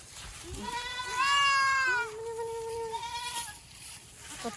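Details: Boer goat kept in a Nepali village farm crossing local goats with Boer; two loud, quavering bleats run back to back, the first higher and shakier, the second lower and steadier, followed by soft rustling.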